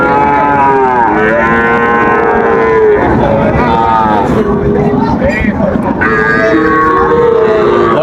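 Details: Sahiwal bull calves, three and a half to four months old, at Raniganj cattle market in Dinajpur, 15 August 2024; drawn-out lowing calls rise and fall in several bouts amid a crowded market hum and men bargaining nearby.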